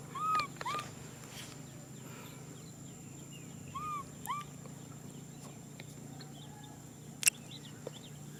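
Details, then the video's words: Young macaque Nui Simon calls for a hug with short, arched, whistled whimpers, two at a time at the start and again near four seconds, over a constant low hum and a few faint chirps. "Monkey baby Nui Simon cries out for a hug"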